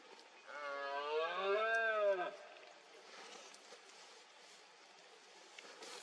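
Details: Red deer stag roaring during the 2022 rut in Cantabria, Spain, amid fog: a single hoarse, harmonic-rich bellow of about two seconds that swells and then drops away, followed by quiet background.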